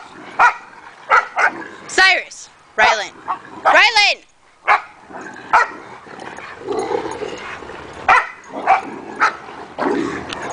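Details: Several dogs at rope play bark in quick, abrupt bursts, some yelping with rising-falling pitch, while play noises and a person's voice fill the gaps between barks.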